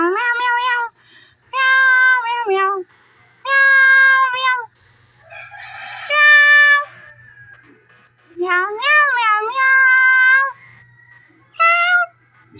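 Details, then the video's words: Cat giving a run of clear, tonal meows: about seven calls over twelve seconds, some short and clipped, others drawn out with a rising-then-falling arch, separated by brief quiet gaps with a faint murmur behind. "Cute meow"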